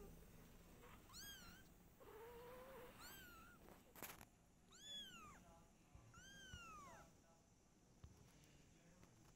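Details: Domestic cats at home: mother cat Silky, her kittens and their father. Four high, arching, harmonic meows come at roughly two-second intervals, with one lower, flatter call between the first two, over a faint room hum.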